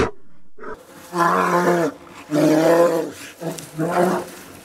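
A bear gives three loud, harsh, drawn-out roars, each lasting under a second, with short pauses between them.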